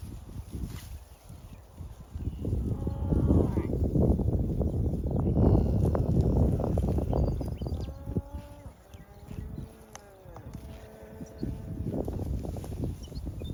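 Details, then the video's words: A herd of many cows grazing together outdoors, calling now and then: steady low tearing and munching bursts throughout, then a few drawn-out, slightly falling harmonic moos near the end, overlapping one another. "Many cows are grazing together and making noises from time to time很多牛一起吃草，不时发出叫声"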